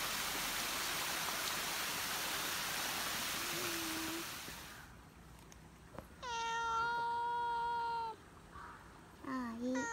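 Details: Cat met on a mountain walk; about five seconds of steady rushing noise gives way to a long, level, tonal meow lasting roughly two seconds, followed near the end by a shorter, lower call.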